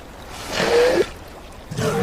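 A seal gives short, breathy calls with a thin, slightly rising whistle, a courtship sound.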